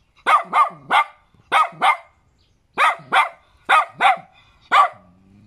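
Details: Small, cute little dog barking in short bursts, mostly paired barks with brief gaps, sharp and mid-pitched with a quick falling tail; quiet background.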